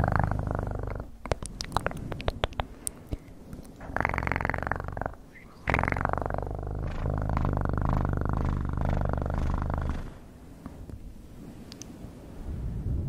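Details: Cat purr heard in repeated bouts of low throbbing rumble, alternating with brief quiet gaps. Scattered crisp clicks sound near the start.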